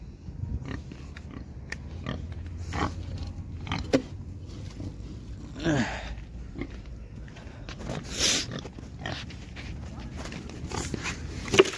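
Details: Pigs on a farm in Assam, India, giving scattered low grunts and snorts over a steady low rumble, with brief broadband bursts of clatter and rustling.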